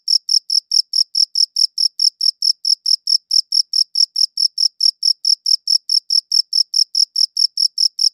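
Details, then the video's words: Uninterrupted cricket chirping: bright, high pulses beating evenly a little over twice a second, loud and clean against a completely quiet background. "Cricket Chirping Sounds"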